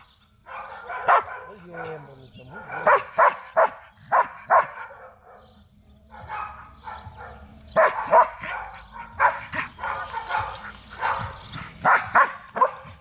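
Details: Belgian Malinois dog during protection training in Zumpango, State of Mexico, giving bursts of sharp, loud barks in quick clusters, pausing mid-clip then resuming more densely; human voices talk in the background.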